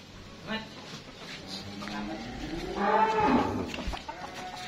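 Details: Simmental cattle of super feeder stock during a weight check; one drawn-out, low, harmonic moo of about a second that swells and fades near the end, over background clatter and faint knocking.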